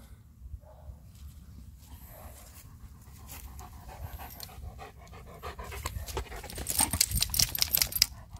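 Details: Two male German Shepherds, Major and a friendly newcomer, greeting each other: quick, harsh panting of about two and a half breaths per second, growing louder and more hissing toward the end.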